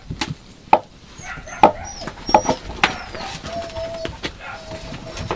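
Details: Yakutian Laika puppies giving short, sharp yelps spaced roughly a second apart, mixed with thin, drawn-out whining tones and faint higher squeaks.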